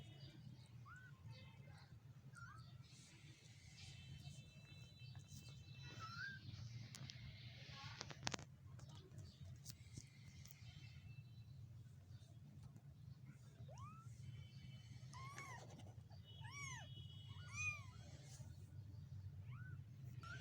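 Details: One-week-old stray kittens give thin, high meows that rise and fall, over a steady low rumble.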